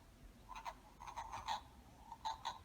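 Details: Male wood frogs calling at a spring vernal pool, their breeding site, give short, hoarse, duck-like clucks in a loose series, made by pushing air through the vocal sac.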